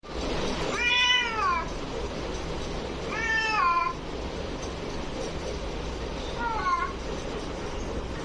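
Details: Domestic cats fighting: three drawn-out, wavering wails with rich harmonics, first rising then falling, near one, three and a half, and six and a half seconds, the last shorter and fainter, over steady background hiss.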